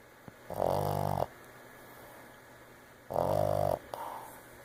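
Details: Boston Terrier snoring: two loud, buzzy, rasping snores about two and a half seconds apart, each lasting under a second, then a brief softer rasp, with a quiet indoor hush between them.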